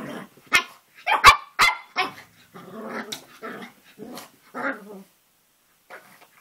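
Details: Cavalier King Charles Spaniel puppy, roughly three and a half months old, playing with his reflection: several loud yapping barks followed by rough grumbling growls, then quiet.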